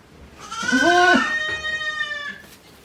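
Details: One-day-old goat kid at Yoshigake Farm, a handmade goat farm, recorded 17 April 2024, giving a single drawn-out, wavering bleat rich in overtones that rises, peaks, then trails off into a thinner tail.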